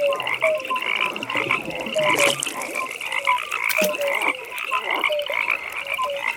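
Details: Pond frogs at night croaking busily: short knocking notes at two pitches, a bright rapid high trill layered above, and a few sharp clicks and splashes among the calls.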